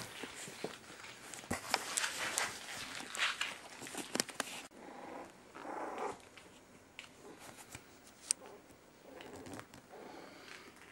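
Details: Miniature Schnauzer puppies at three and a half weeks old whine and growl indoors. Short squeaky whines and thin yelps come in scattered bursts amid constant scratching, clicking and shuffling of small paws.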